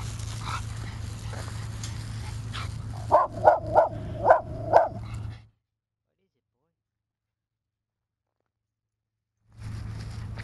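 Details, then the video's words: Dog reacting to a fire hydrant it dislikes: a burst of five short, sharp barks in quick succession midway through, over a steady low hum and faint background voices, then a stretch of silence. "Cute Dog Doesn't Like Fire Hydrant"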